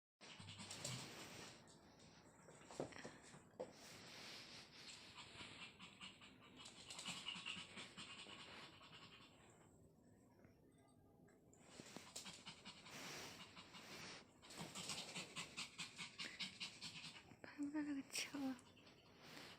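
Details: Pomeranian named Dudu, a pet dog both eager and afraid to play with a newly bought toy. It pants in quick, breathy, noisy bursts that rise and fall, with soft rustling and scratching between them.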